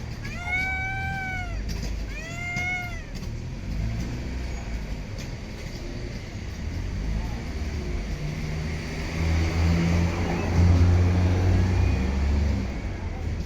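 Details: Homeless cat in an urban street or park producing two crisp, arching meows in its first three seconds, after which the cat falls quiet and passing vehicles and low traffic rumble take over.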